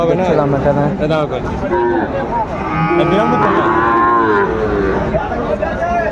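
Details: Cattle at a livestock market in Chattogram, Bangladesh, on 17 August 2024, where farmers buy bulls for rearing: long, drawn-out lowing moos, some rising then falling, overlapping from several animals amid men's talk and bargaining.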